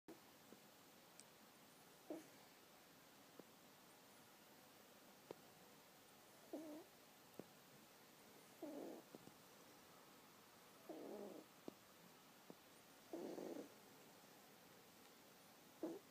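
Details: Three-month-old kitten named Bowie fast asleep and snoring: soft, breathy rasping bursts, each lasting under a second, recur roughly every two seconds with faint clicks between them in an otherwise quiet room.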